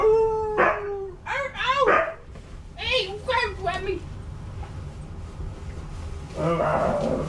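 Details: Siberian huskies play with a new stuffed toy husky indoors. Rising and falling whining, howl-like woo sounds arrive in several short bursts, followed by a rougher harmonic call near the end. A person's voice mixes in throughout.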